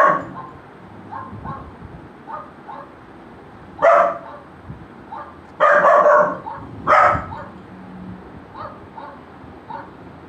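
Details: Golden Retriever puppy reacting to a barking sound: soft, faint yips scattered through, broken by three loud, full barks around four, six and seven seconds, then quieter yips again near the end.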